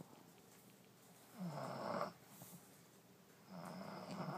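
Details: Allie, a French Bulldog zonked out in her new bed, snores twice within a few seconds: short, throaty rasping breaths with a nasal rattle, in a quiet room.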